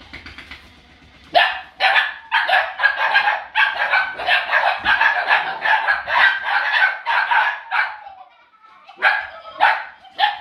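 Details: A litter of puppies nearly eight weeks old at play with a laughing ball; dense, rapid, high-pitched yapping barks, roughly a hundred a minute, run on for several seconds, pause briefly, then return as a few sharp yaps.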